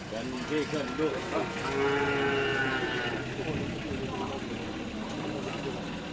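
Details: Cattle at a karapan sapi bull-race training session on the Asemanis field in Pamekasan. A drawn-out tonal moo rises over a steady hum of crowd chatter and voices, with other murmured lowing nearby.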